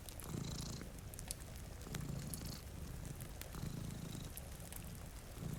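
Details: A deep, even purr from cats dozing before a rainy window, beating in clear breaths about every one and a half seconds, with scattered crackling from a fire and light rain.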